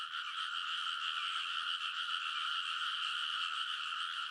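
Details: Frogs chorusing from rice paddy levees at midnight in early summer in Konosu, Saitama, Japan, recorded on a TASCAM Portacapture X8; a dense, unbroken trilling mass with two steady bright bands, no pauses.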